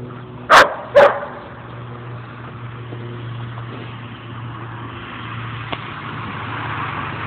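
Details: Two dogs, Mookie and Maeby, playing at Bassett Park in Hamden, Connecticut; two sharp barks close together at the start, then low steady traffic hum and a person calling a name and cheering.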